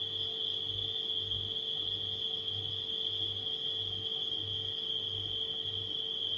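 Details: Crickets calling at night produce an even, high-pitched continuous trill, blended with a refrigerator's steady low humming that pulses faintly in the background.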